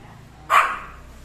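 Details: Pet Pomeranian at home, staring at something unseen while its owner films, gives a single sharp, bright bark that fades quickly, followed by quiet room tone.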